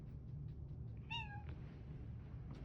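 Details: A pet cat gives one short meow with a clear tone that falls in pitch and lasts under half a second, over a steady low indoor hum, with a person talking quietly nearby.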